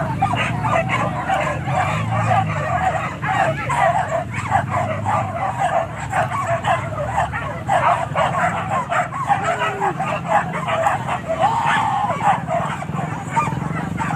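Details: Pack of dogs hunting wild boar at Kayu Ampek, Tanjung Emas district, Tanah Datar regency, barking continuously in a dense overlapping chorus of sharp yaps and barks, with some yelps and people talking underneath.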